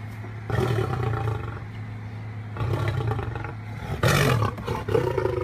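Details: Captive lion at a big cat rescue sanctuary growling: deep, rough, rumbling bursts about a second long, separated by short pauses, over a constant low hum.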